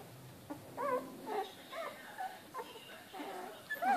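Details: Australian Shepherd puppies at 19 days old, born 12 December: scattered thin, wavering whimpers and short squeaks, some bending up then down in pitch, separated by brief pauses.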